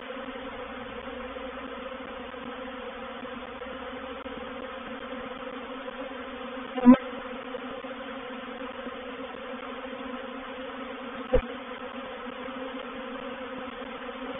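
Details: A reproductive honey bee swarm settling into a bait hive at Painted Peacock Manor on 04/07/21 produces an even, sustained low drone with banded tones, broken by two short sharp taps.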